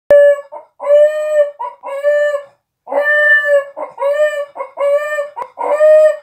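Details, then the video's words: A Miniature Pinscher cries because its owner went to the grocery store, howling in wavering, harmonic-rich cries broken by short yips, the rising-and-falling notes sounding oddly like a rooster's crow. "min pin howling like a chicken"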